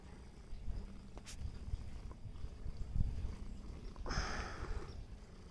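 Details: Meatloaf the cat purring: a low, continuous rumble with soft rhythmic pulsing, broken by a brief rustle of higher noise around the four-second mark.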